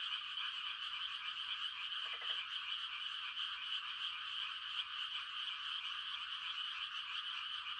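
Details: Countryside frogs on a quiet night at rice-transplanting time give mating calls, a continuous shrill trilling chorus, with one brief, lower rattling croak near the middle.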